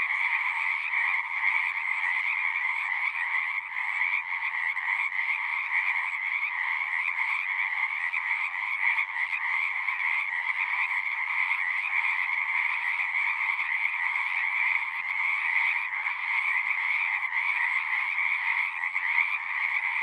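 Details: Steady wall of singing frogs over a long stretch, numerous callers blending into a constant high trill with a lower croaking layer beneath, no pauses and no other noises.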